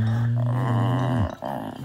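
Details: A male English Bulldog indoors at night cries because he cannot sleep without something he needs, sounding sad; a low, steady moaning whine held for over a second, then cut off, followed by faint room noise.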